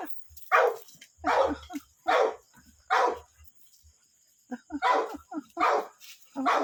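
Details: American Pit Bull Terrier named Cake barking: about eight harsh, noisy barks in two bursts separated by a short pause, with a faint high steady hum behind.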